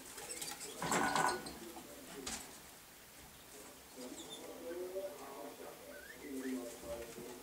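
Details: Pet male degus indoors with a hemp mat: a short harmonic chirp near the start, followed by soft, low warbling notes and faint rustling for the rest of the stretch.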